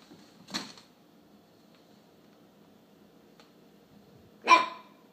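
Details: Alaskan Klee Kai puppy named Charlie, indoors, barking at a McDonald's cup he has decided to dislike; two short sharp barks, one near the start and a louder one about four seconds later, with quiet room between.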